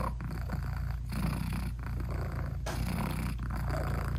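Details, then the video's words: Mother British Shorthair purring while nursing newborn kittens whose eyes have not yet opened; continuous low rumbling throb broken into three or four breath phases, close and quiet, no background music. "ASMR Cat Purring Meowing 🥰Sweet Mommy Cat Talking to her Cute Tiny Kittens 😘British Shorthair Cats"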